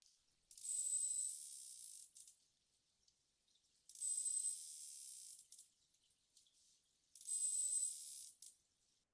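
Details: A big adult male beluga gives three near-identical contact calls about every three seconds, each a high, buzzy burst laced with thin whistled tones. Quiet pauses separate them as he waits for others in his social group to answer.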